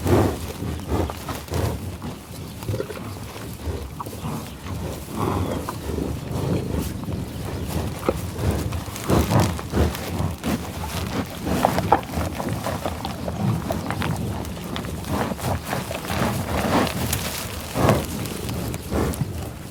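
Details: Tallgrass prairie bison in Pawhuska, Oklahoma, USA: a long run of close, dense nasal snuffles and breathy puffs, uneven in pace, with a few brief low grunts and steady grass rustling.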